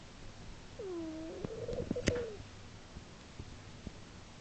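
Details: Earle, a sleeping female domestic cat, snoring in March 2010, loud enough to carry three rooms away; a single drawn-out breath with whistling, curving nasal tones that rise then fall, plus one sharp click midway.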